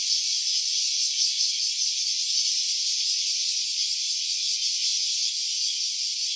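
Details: A cicada's continuous sizzling drone, captured in stereo with an OPPO Reno A phone; high, hissy and tightly pulsed, with only slight swells in volume.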